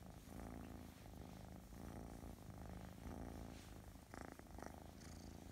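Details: A very affectionate, gentle Russian Blue cat from a cattery purrs steadily, a low rumbling vibration pulsing with each breath.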